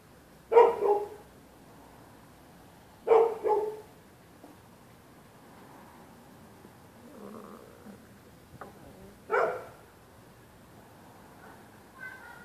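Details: Neighbours' dogs barking through the night at anyone using the public sidewalk on either side of the street; sharp barks come singly and in pairs, spaced a few seconds apart, over a quiet background.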